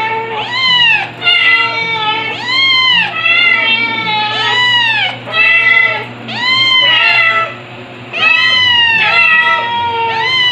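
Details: Stuart, a two-month-old white kitten still a cry baby in July 2022, cries insistently: loud, high arched meows repeated roughly every second or two, about eight in a row, with faint music beneath.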